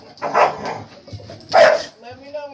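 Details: Family dog barking at a vacuum cleaner: two short, harsh bark bursts about a second apart, followed by softer tonal sounds, with a person talking nearby.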